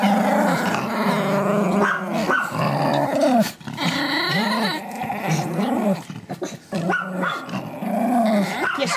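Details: Pomeranian at a kennel in Kyiv, Ukraine, producing repeated throaty growls in arching, warbling phrases about once a second, with brief pauses between bursts and faint background music.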